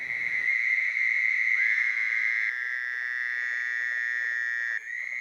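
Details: Fowler's toads call near wetlands in a chorus with carpenter frogs: nasal, buzzy trills lasting 1–4 seconds, sheep-like especially from a distance, overlapping into a steady bleating chorus, often sung at night.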